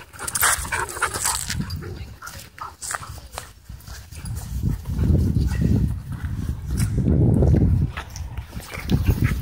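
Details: Dogs wrestling in wild play at a dog park give low rolling growls in two strong waves, with sharp huffs, panting and scuffling sounds around them.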